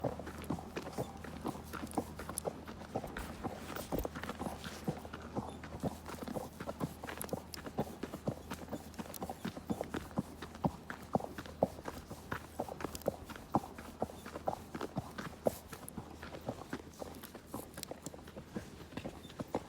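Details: Horse walking steadily under a rider on a ride through nature, hooves clip-clopping roughly twice a second in an even, unbroken stream, with low rumbling background and no voices.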